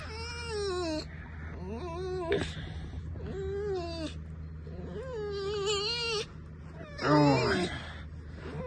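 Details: Pet red fox kept indoors, squeaking while her owner pesters and strokes her: high, wavering, whiny squeals in repeated one-second bursts, with a steady low hum behind.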